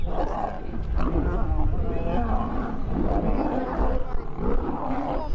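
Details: Lions fighting: a continuous, dense stretch of deep snarling growls and roars, mostly low-pitched with rough harmonic swells, sustained loudly for about five seconds, with human voices mixed in.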